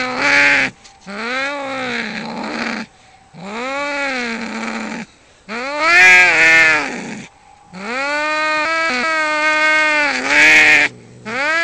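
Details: Two domestic cats squaring off in a fight, trading long drawn-out yowls that rise and fall in wavering arcs, each howl lasting one to three seconds with brief silent gaps between them.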